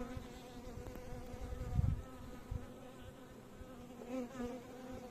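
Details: Bees humming in a low, steady buzz with clear overtones, interrupted by brief thumps and handling bumps, the pitch wavering slightly near the end.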